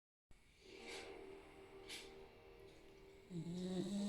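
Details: Luna, a Staffordshire Bull Terrier, snoring while asleep: soft breathy rasps near the one- and two-second marks over a steady low hum, then a louder low droning buzz in the final second.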